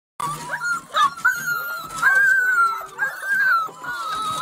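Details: Border Collie dog whimpering in a run of high, wavering whines that rise and fall, with short breaks between them and faint background noise.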